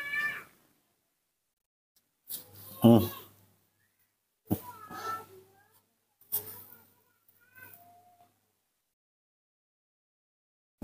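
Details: A baby monkey raised by hand calls in the morning when it wants to drink milk: short, tonal, meow-like squeals with stacked harmonics, given in separate bursts several seconds apart, with low handling thumps and a person speaking softly nearby.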